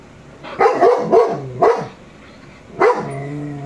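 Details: A 22-month-old male shepherd dog watching a Rottweiler on TV gives a quick run of deep, harmonic woofs, then one longer, drawn-out bark.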